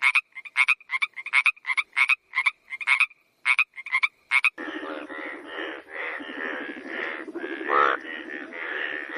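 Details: Frog croaks in a quick rhythmic series of short rasping pulses, then giving way to a dense, continuous chorus of overlapping croaking voices.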